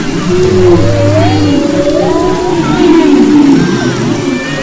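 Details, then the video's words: Off Maui's west coast in February 2011, humpback whales produce a low buzzing groan, then rising wavy whistles and smooth tonal moans weaving over one another in a continuous underwater chorus. "Humpback Whales and Their Songs"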